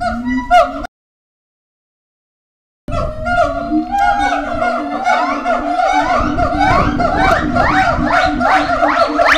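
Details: Caged howler monkeys at Twycross Zoo howling, screaming and moaning at feeding time as they stake out territory; brief calls, a two-second silence, then a building chorus of wavering, rising harmonic wails.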